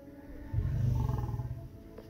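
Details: Male lion courting lionesses at a safari park in Crimea utters a single deep, throaty grunt lasting about a second, over faint background hum.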